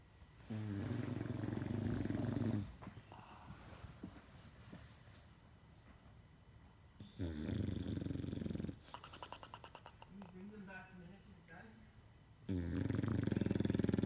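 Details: A female English Bulldog snores in deep, rattling rumbles, each lasting a couple of seconds, with quieter wheezy, whistling breaths between the loud snores.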